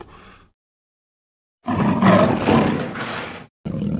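A tiger gives a deep, rough growl that swells into a loud, rasping roar.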